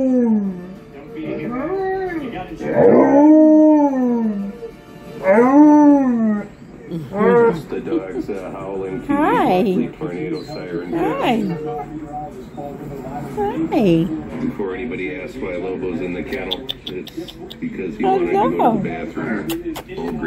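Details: Alaskan Malamute Tonka howling along with other dogs' videos indoors; several arched, wavering howls rise and fall, then shorter broken howls and yips mix with music and people talking.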